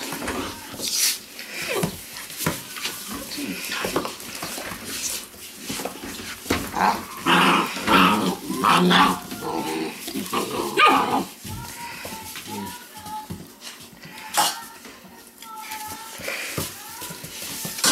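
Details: Weimaraner puppies from a litter out of Indigo and Magnum, scuffling with rough growly noises in the first half, then thin high whines rising and falling in short bursts; a person talks softly in the background.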